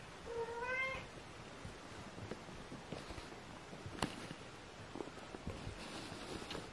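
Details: Kitten Aria, sister of Aramis, indoors, gives one short meow near the start, a clear harmonic tone lasting under a second. Afterwards only soft rustles, light taps and quiet room noise follow.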